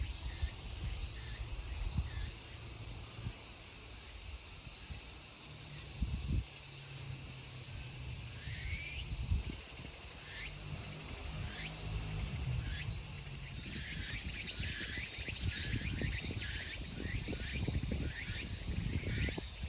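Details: Meimuna opalifera singing together in Kawagoe, Saitama, Japan, 24 August 2020, late summer. Sparse rising strokes at first, growing into a dense run of repeated upswept phrases, over continuous high hiss with occasional rustles and taps.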